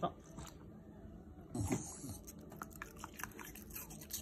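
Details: Shiba Inu dog chewing apple pieces: sharp crunchy bites break in partway through, followed by a run of irregular clicking chews, with brief human speech mixed in.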